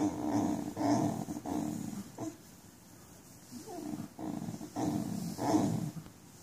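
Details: Basenji with nerve root damage, vocalizing in pain while walking: rough, moaning low cries in uneven bursts, each about half a second long, with brief pauses between them and a faint steady hum underneath.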